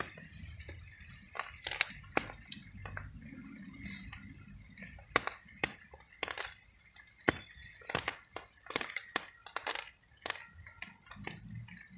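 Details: Rain dripping in a small sheltered space, with sharp wet clicks, squelches and soft chewing noises and no clear meows.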